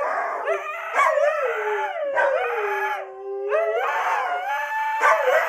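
A husky howls in long, wavering, tonal phrases that slide up and down between breaths.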